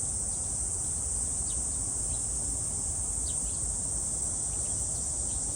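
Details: Cicadas at Gwangalli Beach, South Korea, with dragonflies about: a continuous shrill, high-pitched hiss holding steady throughout, over a low rumbling background of wind or surf.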